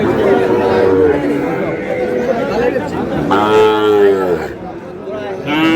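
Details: Sahiwal bull calf at a crowded Noakhali cattle market in Bangladesh, 24 April: several long, tonal moos, the loudest a strong rich bellow near the middle and a shorter one at the end, with people talking throughout.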